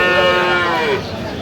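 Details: A single short, slightly falling moo from improved-breed dairy cattle at Aftabganj market in Dinajpur, 21 October 2025, set against a constant murmur of people.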